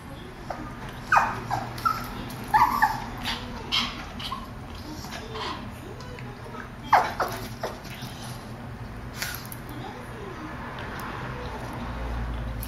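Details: Boston terrier Mimmo and petit brabançon Dédé, tense in a veterinary clinic waiting room and trying to escape; scattered short high whimpers and yips in several bursts over steady room hum, with faint voices.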